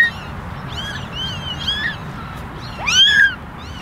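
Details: Kittens in a basket, ten ginger and one white, meowing for attention; soft scattered mews, then one louder rising-falling meow near the end over a low background hum.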